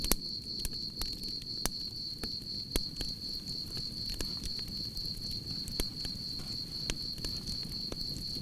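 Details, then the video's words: Cricket chorus at a campfire, an even, beaded high-pitched trill sustained from start to finish, broken only by frequent crisp crackles of wood and a gentle low fire hiss. "Soothing Cricket Sounds"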